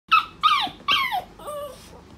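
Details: Pet poodle whining in excitement while getting ready to go out: four high, harmonic whimpers, each sliding downward. The first three are loud and close together, and a softer, lower fourth trails off.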